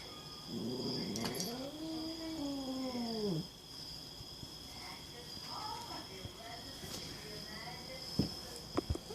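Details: Domestic cat, male, described as paranoid and hissing at its owner, giving one long wavering yowl that rises then falls over about three seconds, followed by faint scuffles amid a steady electrical hum.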